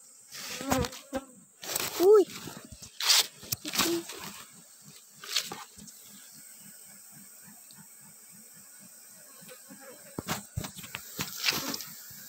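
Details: Asian honey bees (Apis cerana) give a low, steady, droning buzz as honey is taken from their hive, with human voices and handling noises over it.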